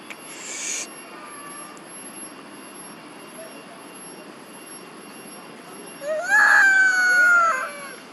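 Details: A monkey mother calls for her missing baby. A brief hissing burst at the start is followed by quiet, then a loud, wavering tonal cry of about a second, falling slightly, and a softer second cry follows.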